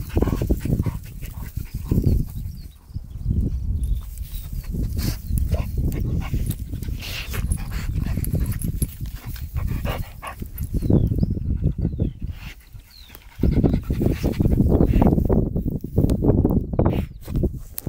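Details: Jack Russell bull terrier dogs, Prune and Cali, heard in a stretch of rough, low, broadband grunting and growl-like bursts. The bursts come in uneven pulses with brief quieter gaps near three and thirteen seconds, over a constant rumbling background.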